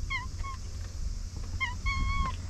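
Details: Stray cat in Japan, a pink-tinged cat under a boat that is gradually turning white, gives short high mewing calls: two quick mews, then after a pause another pair ending in a longer drawn-out meow, over low steady background rumble.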